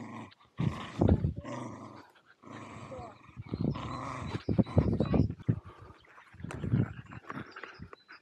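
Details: Welsh Terriers Zorro and Zula romp together at Torgo Talu Guesthouse & Farm, Estonia, filmed with an Insta360 Go2. Almost continuous low rumbling growls swell into rougher peaks around one, five and seven seconds.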